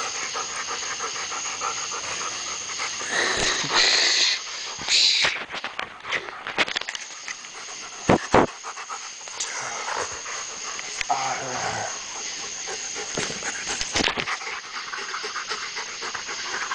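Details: German Shepherds panting while wrestling with a person: rapid, breathy, noisy panting at about four breaths a second runs through the clip, with a steady high hiss, a few sharp thumps and scuffles, and a brief human voice.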